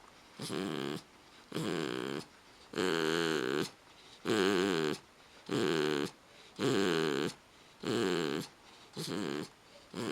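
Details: Loud snoring from a pit bull asleep after its bath: steady, harsh, rattling breaths repeated about once every second and a quarter, each snore a buzzy vibrating rasp, in a small quiet room.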